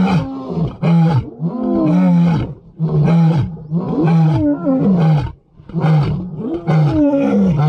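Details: Lions roaring together: several overlapping deep, moaning roars with rich harmonics, sustained over several seconds with brief dips, a loud full chorus.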